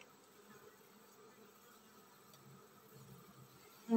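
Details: Low, even hum of a honey bee colony getting ready to swarm, soft and continuous, ending with a sudden loud knock.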